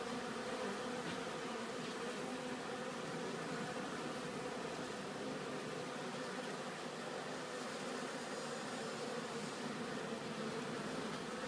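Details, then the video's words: Honeybees carrying pollen home to the hive on a bee farm make a thick, even hum of many insects, a low humming tone with a higher overtone, steady throughout against a hiss of background noise. "Honeybee collecting bee pollen back to hive"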